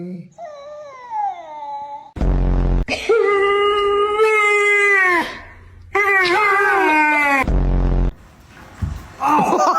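A German Shepherd gives drawn-out, wavering whining howls, with a person talking in between.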